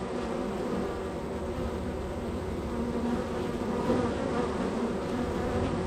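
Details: Busy honey bee colony at one hive of a row, bees entering and departing; a thick, unbroken humming buzz, steady in loudness with faint louder swells.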